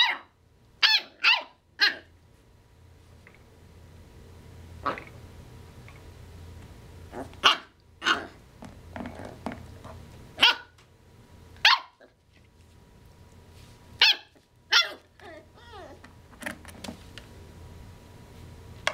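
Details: Nine-week-old Corgi puppy trying to get another dog to play: sharp, high yappy barks in short bursts, some doubled and tripled, spaced irregularly with quiet gaps and a low background hum.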